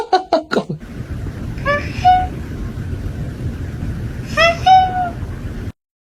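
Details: Cat giving two short meows, each a quick rising note settling into a steady tone, a few seconds apart. A burst of sharp clicks or knocks comes first, with low indoor rumble beneath.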